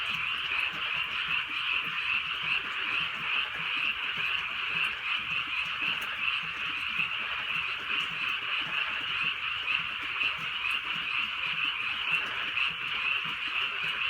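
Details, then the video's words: Countryside frog chorus on a night of light rain, many callers blending into a steady unbroken band of quick repeated croaks, roughly two per second, over gentle rainfall. "개구리 소리"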